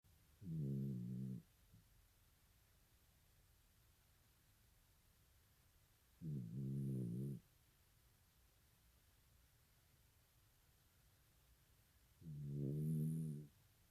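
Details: A dog snoring loudly: three low, rasping, rumbling snores, each about a second long, repeat roughly every six seconds, with near silence between them.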